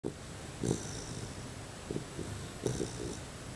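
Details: A sleeping two-month-old male Labrador Retriever puppy snores. Soft, low, rasping snore breaths recur at about one-second intervals over a quiet indoor hiss, with faint hissy exhalations between them.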